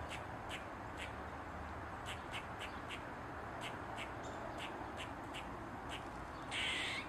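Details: Eastern gray squirrel dancing on a mushroom with its tail wagging, giving a run of short, scratchy chucking barks at an uneven pace that ends in one loud, rasping squawk; steady low hiss underneath.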